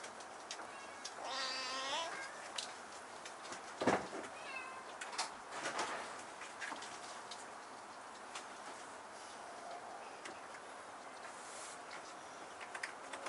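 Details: Kitten with a husky voice climbing up to a high place in a room; one short, faint meow near the start, rising then falling, over quiet indoor background noise with a few knocks and rustles.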